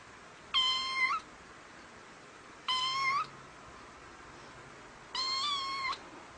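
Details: Domestic cat meowing three times, each meow a clear harmonic-rich call lasting about half a second, spaced roughly two seconds apart, level and slightly rising at the end, over a quiet steady background hiss.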